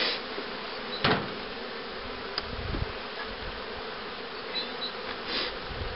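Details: Continuous buzzing of honey bees at colonies readied for raising queens, 2013, with a starter hive and a box of breeder queens; a loud thump near the start and scattered taps over the even drone.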